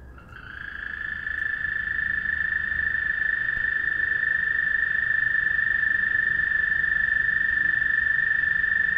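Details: Calling frogs at night produce a long, unwavering high trill that fades in during the first second or two and then continues at full strength, with overtones above and no other callers evident.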